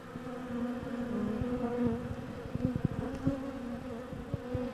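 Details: Honey bee worker acting as undertaker, clearing a dead worker from the landing board at the hive entrance in winter; a steady low buzzing hum with layered overtones, broken by short soft taps and rustles.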